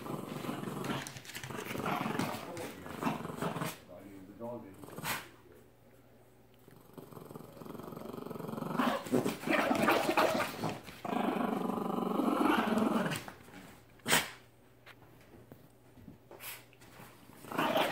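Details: Brick the Mastiff and Merry the Terrier play-fighting. Harsh, throaty growling comes in long, uneven stretches, broken by quieter pauses and a few sharp knocks.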